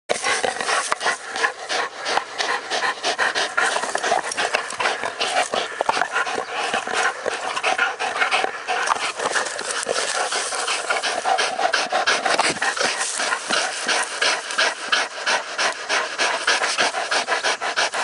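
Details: American Bulldogs, two dogs testing their strength against each other, breathing in rapid, rough panting bursts of about three breaths a second, continuous and breathy throughout with no other clear sounds.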